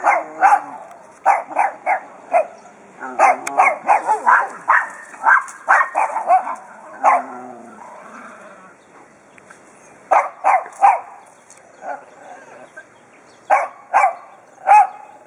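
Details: Pet dog in its yard barking to warn off the neighbor's dogs; sharp barks come in irregular bursts, some rapid doubles and triples, with pauses of a second or more between volleys and faint whining in between.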